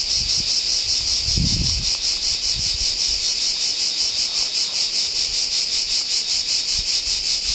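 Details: Deafening chorus of cicadas in a pine wood at San Sostene, Calabria, Italy, a steady high-pitched rasping drone pulsing rapidly and evenly, with a faint low thump in the background.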